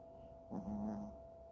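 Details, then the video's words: One drawn-out nasal snore from Freja the Chihuahua, a buzzing rasp lasting about half a second over a faint steady hum. "Freja, the snoring chihuahua."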